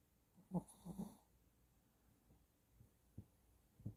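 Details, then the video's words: A Shih Tzu snores in its sleep, giving a pair of low, grumbling snore pulses in the first second, then a few soft nasal clicks and snuffles fading into near silence. "강아지 코골이소리 듣기"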